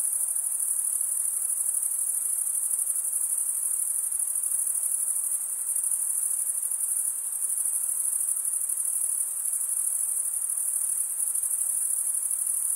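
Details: Crickets chirping together as one continuous piercing trill, scarcely changing in loudness, set above a low, soft wash of noise.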